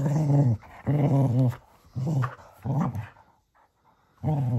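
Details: Playful male Cocker Spaniel tussling with his donkey toy at bedtime: a rapid run of short, wavering growls, four close bursts, then a pause before another growl starts.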